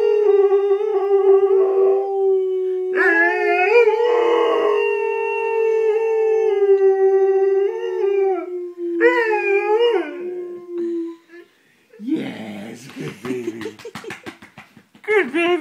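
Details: Domestic dog in its first-ever howl, sounding like a hound: sustained even-pitched howls with bending, wavering inflections over about eleven seconds, then shorter, lower, broken yelping and whining notes near the end.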